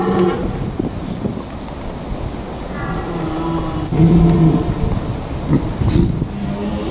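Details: Red deer stags calling in the Eifel, Germany: low, droning roars, one lasting over a second and a later shorter one, under gusty wind.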